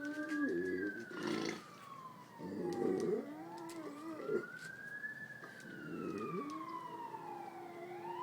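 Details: Baxter, a Great Pyrenees dog, howls along with a passing ambulance or fire engine siren, trying to imitate its high wail in a much lower, wavering voice while the siren sweeps up and down above him.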